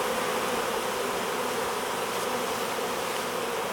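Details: Honey bee swarm being hived, a dense, steady buzzing hum of many bees that holds an even level without pause for the whole stretch, with no other clear sounds.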